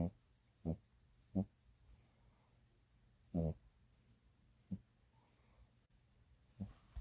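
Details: French Bulldog snoring in short, throaty snorting breaths, four quick ones close together then a stronger rasping one, with quiet gaps and faint breathing between them.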